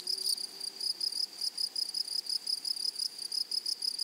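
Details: In a flowery meadow, grasshoppers give a shrill, tonal song cut into short bursts about four or five times per second, a regular ticking rhythm over soft background hiss.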